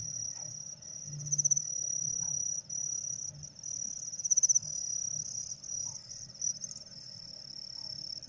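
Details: Kept crickets, part of a lesson on getting them to sing quickly with a homemade hair tickler, give a continuous piercing high trill broken by short louder pulsed bursts and one brief gap, above faint low background hum.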